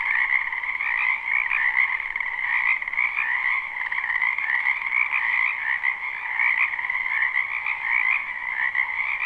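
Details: A live, unlooped recording of a spring wetland frog chorus behind a home, a thick wall of overlapping trilling croaks holding steady pitch bands with small swells in loudness.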